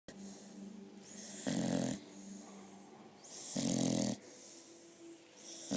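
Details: A seven-month-old female Staffordshire Bull Terrier cross asleep after a long run, snoring in loud rasping bursts with quieter breaths between, two strong snores about two seconds apart.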